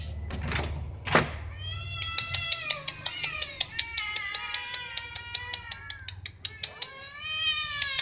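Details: Domestic cats meowing for food or attention: drawn-out, overlapping meows that rise and then fall, with a rapid run of sharp clicks in the middle, indoors.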